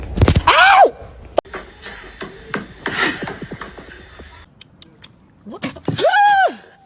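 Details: Domestic cat in a compilation of funny cat moments: a short cry near the start, then a loud, drawn-out meow that rises and falls at the end. Human voices, laughter and scraping or knocking noises fill the middle.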